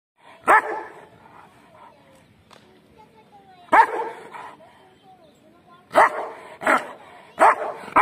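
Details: Bully Kutta, the Pakistani mastiff breed, giving loud, deep single barks at irregular gaps of about one to three seconds, with quiet speech and faint whining between them.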